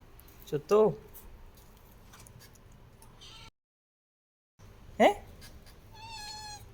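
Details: A cat that has hidden her kittens gives a short falling meow, a break, then another meow. A woman talks, and thin high mews follow near the end.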